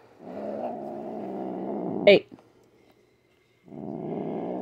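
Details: Domestic cat growling during nail clipping, grumpy and upset; a long low growl, a sharp click-like burst, a short silence, then the rumbling growl resumes.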